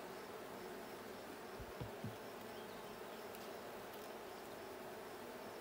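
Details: Blue hive honey bees at a hive check, 6/20/22: a thick, unbroken buzz with a pair of low knocks around two seconds in.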